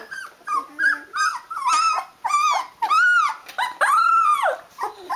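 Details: Several Rhodesian Ridgeback pups at 16 days, eyes open, calling their mother for food: loud arched whines that rise then fall, some long and sustained, following one another with short gaps.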